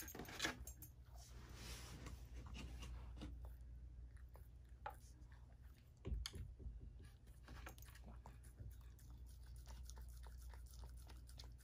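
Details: Chip the pet dog munches food indoors, a meal that includes chicken, berries, pasta, whipped cream and carob dog cookies. Sharp crunchy bites and clicks repeat irregularly, with a loud crunch early and another around six seconds.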